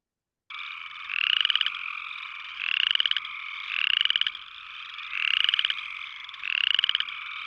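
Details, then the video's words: Upland chorus frogs, small winter-calling tree frogs of the Eno River watershed, give short rising rattling trills like a finger run down a comb, repeated steadily; large calling groups can be deafening. "Upland chorus frogs um to me sound like sort of running your finger down a comb."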